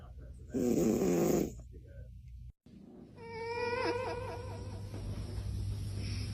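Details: A cat asleep gives one loud, harsh snoring breath lasting about a second, then a brief silence, followed by a wavering harmonic voice-like tone over a steady low hum.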